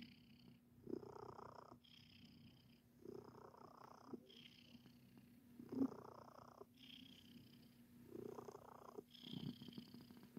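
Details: Male domestic cat purring steadily while making biscuits, kneading with its paws; the low purr swells and fades with each breath, roughly every second, alongside soft rhythmic scratching pulses.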